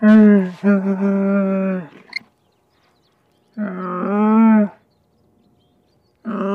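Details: Camel grunting, with two long droning moans separated by a pause of over a second, the first wavering slightly and breaking off, the second swelling then cut short, and a third call starting at the end.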